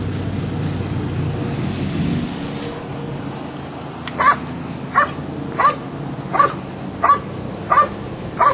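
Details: Belgian Malinois during a Schutzhund III protection routine at a trial in Escondido, California: after a few seconds of low rumbling background, seven sharp, loud barks come evenly, about one every 0.7 seconds.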